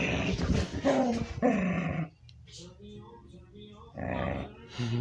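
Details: House dog making strange vocal noises never heard before by its owner: two seconds of loud grumbling moans, then a quiet low rumble, then another moaning burst.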